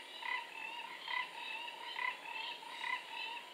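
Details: Calls of the four-ridged toad by a forest pool in Singapore, 15 November 2014: short buzzy pulses recurring about once a second, each with a lower and a brighter band, over faint steady insect noise.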